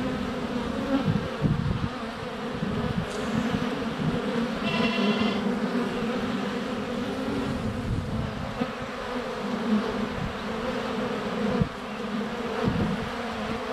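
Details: Honey bees in flight at a hive entrance on a sunny February day, filmed with a GoPro Hero 7 Black less than a foot away: a dense, steady low hum with thumps of bees landing on the camera, and a brief stacked call midway.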